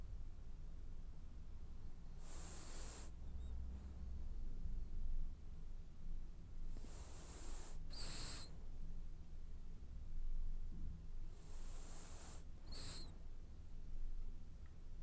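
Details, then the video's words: Dreaming French Bulldog asleep and snoring: three long, hissing in-breaths, each ending in a brief whistling wheeze, spaced roughly five seconds apart, with soft low snuffles and rumble between them. "Snoring French bulldog has dreams"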